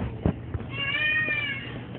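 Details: A newborn Basset Hound puppy, born after its mother had been in labor for over 29 hours, gives a thin, high whining cry that rises then falls over about one second, with low thumps in the background.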